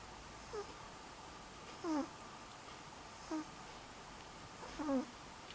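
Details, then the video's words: Selma, a sleeping dog, snoring in October 2015: short squeaky nasal whistles that dip in pitch, repeated with each breath about every one and a half seconds over a quiet background. "Selma snoring"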